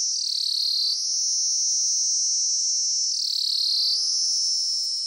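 Cicadas buzz in a loud, continuous high-pitched drone that surges and dips.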